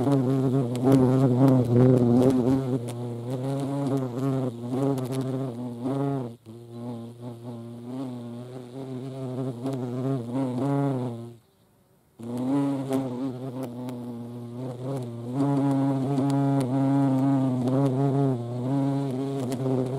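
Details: Low droning flight buzz of hornets at a feeding spot with ants, Dohr, Eifel, 28 July 2022, swelling and fading as insects come and go, with a short silent break midway.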